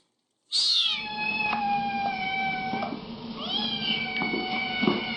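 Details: Kitten giving one long, drawn-out meow: a sharp high onset settling into a steady, tonal wail held for several seconds, rising again toward the end, over faint background noise.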